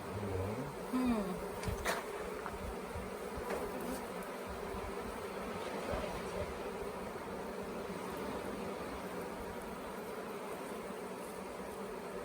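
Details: Swarming honey bees at the Tamarind Tree Hotel, late-season swarm being caught into a nuc box, the bees restless and undecided: continuous layered buzzing drone, a short human voice near the start, then unbroken hum.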